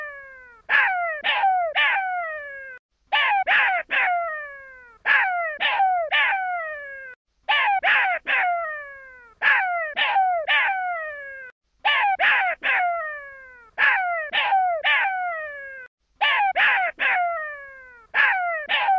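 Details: Baby jackal calling: bursts of three or four loud, harmonic, downward-sliding yelps, grouped and repeated roughly every four seconds with short silent gaps between bursts.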